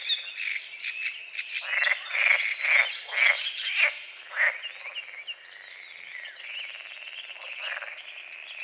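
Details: Morning frogs on a small lake at the edge of a forest, recorded at dawn: a run of short grating croaks about twice a second, loose in rhythm, fading after four seconds into a softer background of birdsong.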